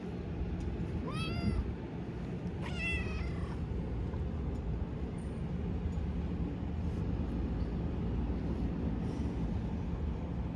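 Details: Stray Siamese mix cat with a Pikachu-like tail, met again after a long time near a harbour: two clear, harmonic meows about one and a half seconds apart, the second more strained, over a steady low rumble of traffic.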